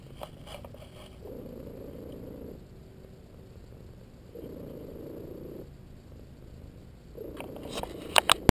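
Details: Dozing pet cat LoneWolf purrs under a massage. Three soft whistle-like squeaks, each over a second long, rise above a quiet rumble, and a few sharp clicks and rustles come near the end.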